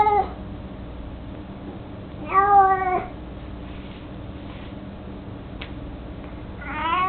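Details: Domestic cat Mico, aged 18 and mostly blind, carrying his toy mouse around, utters a brief meow, then a longer harmonic meow, a faint click, and a final rising meow over a low background hum.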